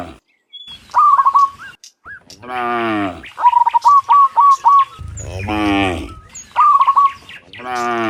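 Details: Cows, dozens of them, heading home from the fields to their pen in the afternoon; several drawn-out lowing moos alternate with repeated bright chirped bird phrases.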